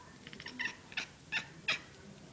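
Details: A kitten chatters while watching birds and chipmunks outside a window: a quick run of soft, clicking chirps, then three sharper, higher chirps about a third of a second apart.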